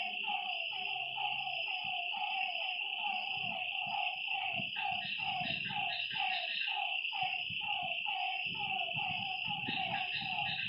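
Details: Lakeside frogs at night, calling together in a continuous stream of brief descending croaks, with a steady high-pitched drone throughout and occasional soft low thumps.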